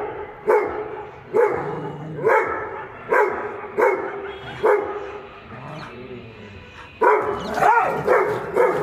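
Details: Dogs, a Dogo Argentino and a pitbull named Simmba and Tiger, barking in a rhythmic series of sharp, mid-pitched barks about once a second, with a brief pause before a louder, denser burst of barking near the end.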